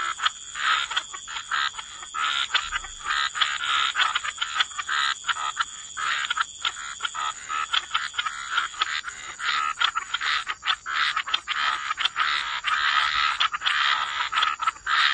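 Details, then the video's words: Many frogs calling at the waterside, harsh clicking croaks in uneven rapid runs with brief lulls, set against a persistent high-pitched whine. "Relax to the Sound of Croaking Frogs"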